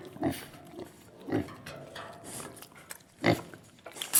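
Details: Pigs on a farm giving a few scattered low grunts with short pauses between them, plus faint rustling and background noise.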